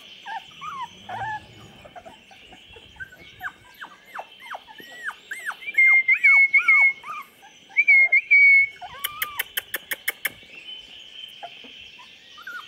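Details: Litter of 24-day-old chocolate Labrador puppies: scattered high, falling whines building into a busy overlapping chorus, broken by a few loud level squeals and a quick burst of sharp clicks before the whining fades.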